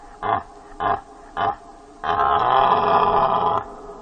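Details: Three short, rough grunts from a deer, spaced about half a second apart, followed by a long, harsh, roaring call lasting about one and a half seconds.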